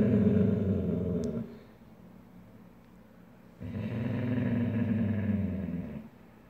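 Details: Two Weimaraner sisters, Snowdrop and Zinnia, squabbling indoors over a soft comfy bed; a deep, rumbling growl lasts over a second, pauses, then returns as a longer sustained growl of about two and a half seconds.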